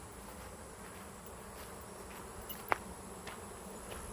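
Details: A huge August swarm of Western honey bees (Apis mellifera) landing on a swarm trap left out since spring fills the air with a dense, steady hum from countless wings.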